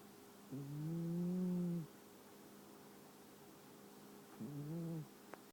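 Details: Ten-year-old longhair shelter kitty Brie asleep and snoring as usual: a long, low, humming snore of over a second, a pause, then a shorter, weaker one, with a faint click at the end.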